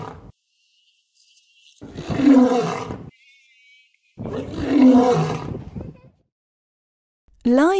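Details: Lion roaring: two deep, rough, broadband roars, each lasting about a second and a half, separated by roughly two seconds of near silence, with a faint higher tone between them and a different sound starting at the end.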